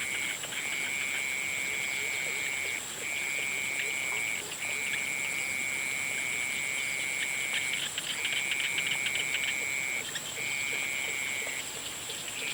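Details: Frog chorus at sunset, a high steady trill carrying on for several seconds at a time with short breaks between bouts, backed by a constant shrill drone.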